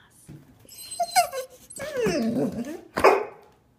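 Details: Two-year-old golden retriever indoors, eager to go to Grandma's: a run of excited, wavering whines and yowls, ending in one sharp bark, with a person's voice mixed in.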